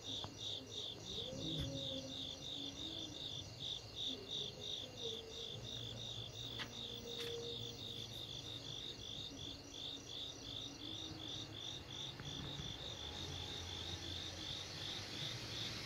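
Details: Summer night chorus of crickets recorded in Asia: steady, shrill pulsed chirping repeating about three times a second, plus faint low hum and occasional soft lower calls.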